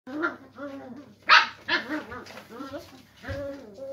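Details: Springer spaniel puppies playing together in a cardboard box, giving a run of short, whiny yelps and yips that rise and fall in pitch, with one sharper, louder squeal near the middle and brief pauses between outbursts.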